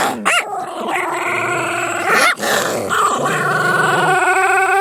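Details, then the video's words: Pet dogs fighting, which they are said to do all the time; a dense tangle of snarling growls and yelping cries, with sharp rising yips, continuous and loud throughout. "DOGS FIGHTING!!!!!!!"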